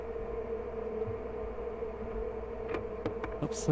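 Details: Colony of honey bees at "The Mountain" checked on 22/6/29, hives busting with honey; a steady, even drone holds one mid pitch, with a few faint clicks and a brief buzz near the end.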